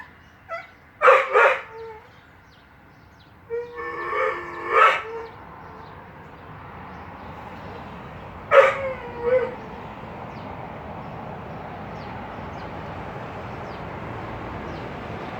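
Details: Crying dog giving a few drawn-out whines in small groups, two quick cries, a longer wavering double whimper, then one more strained cry with a short tail, followed by several seconds of low steady background noise.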